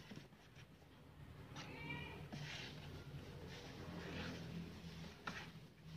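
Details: Domestic cat from a compilation of funny pets, giving a short harmonic meow that rises then falls over about half a second. Steady low indoor hum and soft rustling run through the background.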